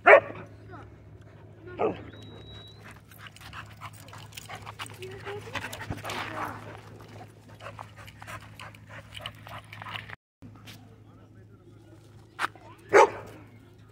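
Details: A rare-colored pit bull mix at a dog park; short sharp barks at the start, another soon after, and a loud pair near the end, over people talking and soft clicking noises.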